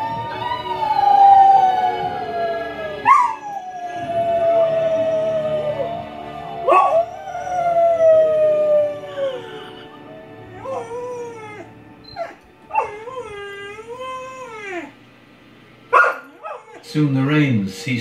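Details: A 4-month-old English Mastiff puppy howls along to a movie in long, wavering tones that rise, sag and break into yips.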